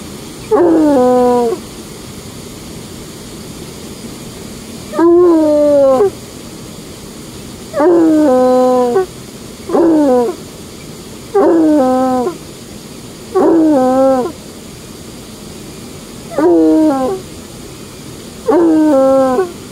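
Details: Trapper, a coonhound, off leash at a dam where he often sits staring at the water and howls: a series of eight wavering howls, each about a second long, repeated every two to three seconds over soft background hiss.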